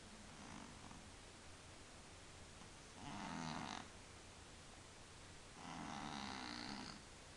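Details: Tomcat Willy, a pet with sinus trouble, snores in his sleep: two long rasping, buzzy breaths about three seconds apart, each roughly a second long, separated by quiet pauses over faint background hum.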